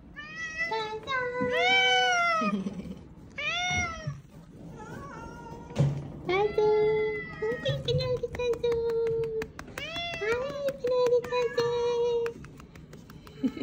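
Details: Small, weak kittens found huddled together and fading, met on the way home from a family funeral, calling with repeated high, arching meows, some short and sharp, others long and drawn out, with soft clicks and tapping in the background.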